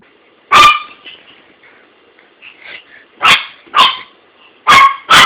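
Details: Dog barking at its toy: one sharp bark, a pause with faint soft noises, then four more abrupt barks in quick pairs near the end.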